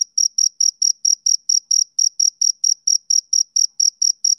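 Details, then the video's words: Shrill, regular chirping from a male cricket on a summer evening. Short bright pulses follow one another about four times a second and end abruptly. "Cricket Chirping Sound Effect"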